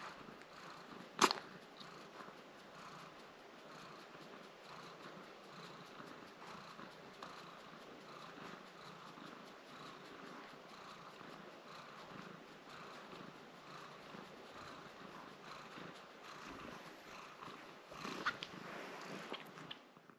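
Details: Domestic cat Nala, wearing a protective cone while a leg scratch heals, purrs as she is given a good scratch. A steady, low, rhythmic purr runs throughout, with a sharp click near the start and some rustling toward the end.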